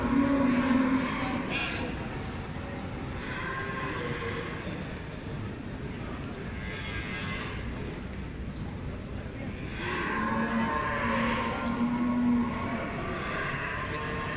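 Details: Beefmaster cows at the Expo Guadalupe 2019 cattle show, during judging of the females: a short low moo at the start, then a longer drawn-out moo near the end, amid steady crowd noise and a loud hall.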